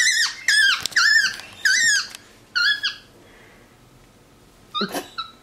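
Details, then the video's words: A pet capuchin monkey relaxing indoors on a leather couch chatters in a run of high, bending chirps and squeaky whistles, several in quick succession, then a pause and a final short burst, in a quiet small room. "Vocal Monkey On the Couch!"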